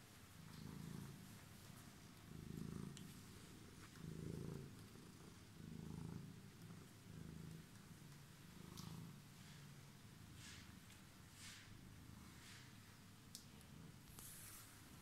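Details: A homeless cat waiting on the stairs purrs in rhythmic low pulses, each breath-cycle swelling roughly every one and a half seconds, the rumble softening toward the end amid faint taps and rustles.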